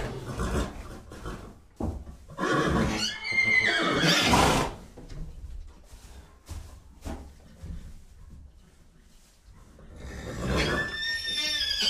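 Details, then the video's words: Horses calling: a loud quavering neigh rising then falling, softer snorts and nickers in between, and a final whinny with a thin high whistle at the start. "Sounds of horses. What sounds do horses make?"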